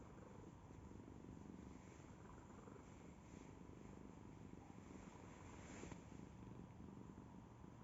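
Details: Domestic cat purr heard as a continuous low, buzzing rumble with fast regular pulses, fairly even in loudness throughout, with a faint hiss in the background.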